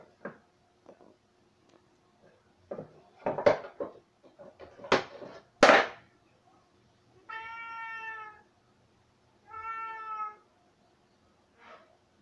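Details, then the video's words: Cay, a pet cat, gives two drawn-out, steady, harmonic meows of about a second each, a couple of seconds apart, after a run of loud knocks and thumps indoors. "Meow Meow Cay 46"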